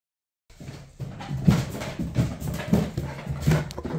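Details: Bernese Mountain Dog on a weekend outing, walks in parks and time in the garden; steady rhythmic breathy panting, loud and close, with a few faint soft whines mixed in.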